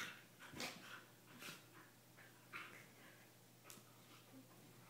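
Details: Two playful corgis mouthing and licking each other inside a small room; quick sharp snorts and brief high whiny squeaks come in a few scattered bursts over soft snuffling.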